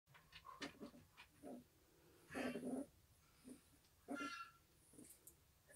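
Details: A litter of eleven newborn Pungsan puppies whose eyes have just opened give short, squeaky whimpers and whines in scattered bursts.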